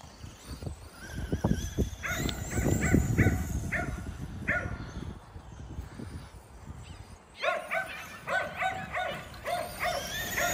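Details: Kerry Blue Terriers playing with a Traxxas E-Revo RC car, giving short harmonic barks in bursts, loosest early then in a quick run near the end, over low rumbling motor and ground noise.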